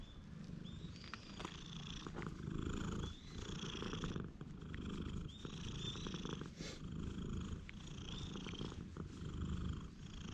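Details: Friendly cat met on the Philosopher's Path, filmed on a GoPro: steady low purring fills the whole stretch, with birds chirping high above it.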